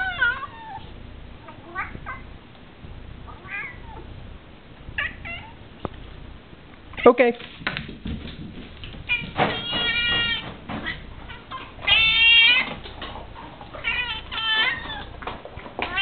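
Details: Indoor domestic cat whining while two dogs eat lunch; faint meows early, then louder, strained, harmonic-rich wails in the second half, mixed with a person speaking and clattering household sounds.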